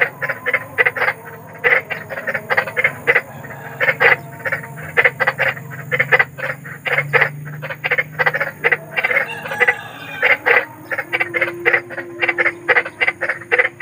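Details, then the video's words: Big frog giving loud, rapid croaks: short harsh pulses repeated quickly in uneven runs that go on without pause, over a faint continuous low drone. "SUARA KODOK || KODOK BESAR || SUARA KODOK SERAM"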